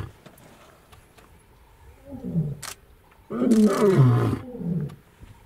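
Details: Wild lion at Olare Motorogi Conservancy in Kenya's Masai Mara, February 2019, giving a soft low grunt followed by a loud, deep, harmonic roar that falls in pitch over about one second, with quiet outdoor background.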